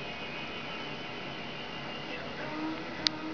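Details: Steady indoor background hiss and hum with one short click near the end, and no animal sounds.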